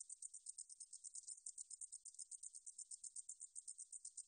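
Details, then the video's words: Singing katydid called 등줄어리쌕쌔기 in Korean, recorded in 2020 by the National Institute of Biological Resources: sharp, hissy, very high pulses in a fast, unbroken series, briefly blurring into a smoother buzz midway. "등줄어리쌕쌔기, 여러번 듣기, 곤충소리"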